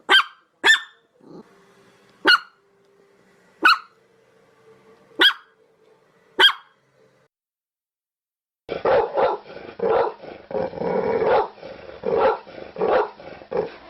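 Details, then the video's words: Dog barking while begging: six sharp, clipped barks spaced about one to one and a half seconds apart, followed by a lower, muffled stretch of rough, continuous vocal noise. "SOUND OF DOG BAGGING BARKING DOG"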